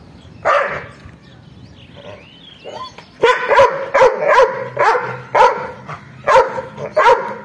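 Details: An angry dog lets out one bark, pauses amid faint whines, then breaks into a run of loud, harsh barks repeated about twice a second.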